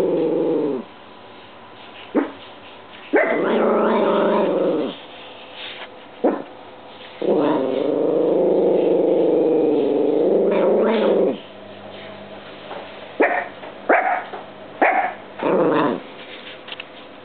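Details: A house dog named Apollo, upset by the odd spin of a washing machine on dry cycle, gives drawn-out throaty growling barks lasting seconds, then a run of short clipped barks, with low appliance hum underneath.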